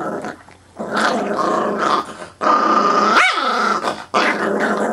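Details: Chihuahua mix acting tough and growling indoors, never having bitten anyone; sustained rumbling growls in long bursts with short pauses, a higher whining tone rising briefly near the middle, steady room hum beneath.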